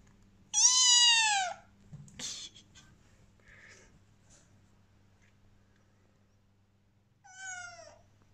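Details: A Bengal kitten gives two loud, drawn-out meows that slide downward, crying as its owner prepares to leave.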